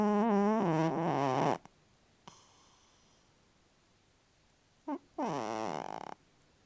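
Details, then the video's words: Lulu, a pet cat and loud snorer, sleeping and dreaming; two loud, buzzy, droning snore breaths, each over a second long and rich in overtones, separated by a quiet pause of about three seconds. "My cat dreaming and snoring."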